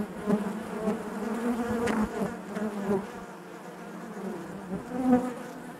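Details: A colony of honey bees hums inside its hive, a rich low buzz with bright harmonics, pulsing gently with small swells and a sharp click just before two seconds.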